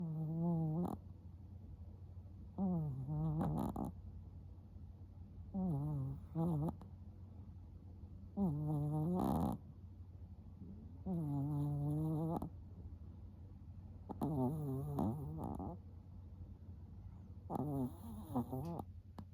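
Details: Chihuahua asleep with eyes half open, snoring steadily: low rasping, buzzy snores with rising and falling harmonic sweeps, about one every two to three seconds, some drawn out, in a quiet room.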